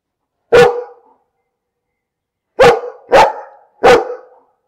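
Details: Dog barking: a single sharp bark, a pause of about two seconds, then three quick barks in a row. The surroundings are otherwise silent.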